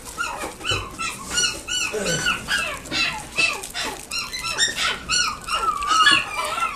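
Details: A Chihuahua at a pet shop in Nagoya gives rapid, high-pitched whines and yips that rise and fall in quick succession.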